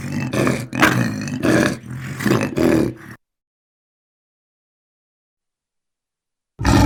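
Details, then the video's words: Lion giving a run of harsh, throaty roaring pulses for about three seconds, then several seconds of silence before another loud burst begins. "Animal sounds lion"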